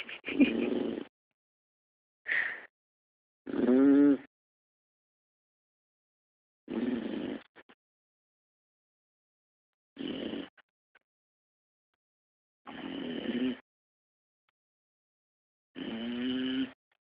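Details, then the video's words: Albert, a sleeping Pit Bull with tongue sticking out, snores steadily: seven raspy, droning snores about three seconds apart, each a short buzzy rattle with a wavering hum, silence between breaths, in a quiet room. "Snoring pit."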